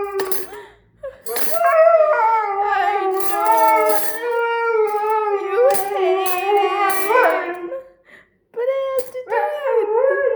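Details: Howling Siberian Husky triggered by clattering cutlery; long modulated howls with rising and falling pitch, interrupted by metallic clinks, a short pause, then a renewed wavering howl.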